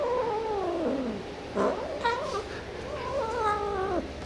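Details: Pet cat reacting to an edible toy gives a falling, drawn meow, then short broken calls and a second wavering, rising-then-dropping yowl, with faint room noise.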